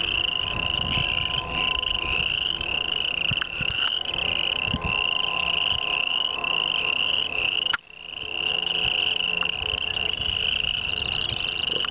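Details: Tree frogs calling to attract females in a grass swamp ditch by a town; a continuous shrill, pulsing trill from many frogs, loud throughout, with a brief sharp knock midway.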